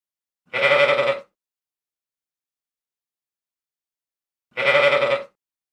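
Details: Sheep (Ovis aries), bleat.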